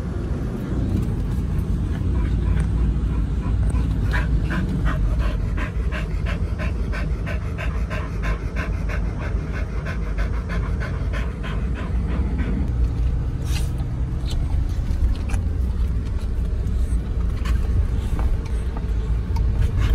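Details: Pit Bulls Oliang and Nomyen, taken along over Chinese New Year 2020 and checked into Dog Space Hotel, panting in quick, regular breathy bursts that strengthen mid-clip and then fade, over a steady low vehicle rumble.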